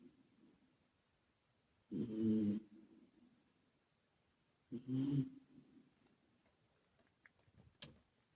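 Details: Carmo, a male British Shorthair and former rescue cat, asleep indoors; two low, breathy snores about three seconds apart, each lasting under a second, with a short faint click near the end.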